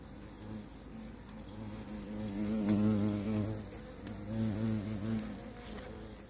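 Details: Honey bees buzz in a low, droning hum that swells and fades as they fly around and gang up on a giant hornet, attacking it together.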